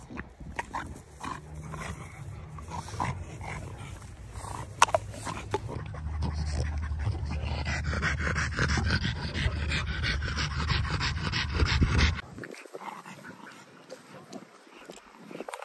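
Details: A French Bulldog and a Great Dane playing with a ball; rough, noisy scuffling and panting give way to a steady low rumbling growl in the middle, which stops abruptly near the end, leaving quieter background.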